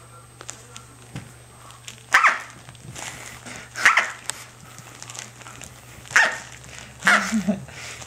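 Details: Female Corgi puppy, six to seven weeks old, named Tic-tac, playing indoors with her toy duck: four short, sharp, high yapping barks spaced one to two seconds apart in a small room, with faint rustling between them.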